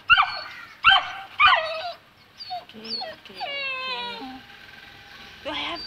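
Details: Two-month-old Saint Bernard puppy, afraid to go down stairs, gives drawn-out whimpering whines that slide downward, after a few short sharp yelps at the start. A person's voice coaxes it in between.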